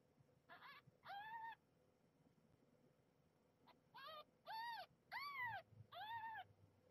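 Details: Nursing kittens squabbling over teats at the mother cat's milk bar, one defending her spot; six loud harmonic arched cries in two bursts separated by a quiet gap, against a low steady hum.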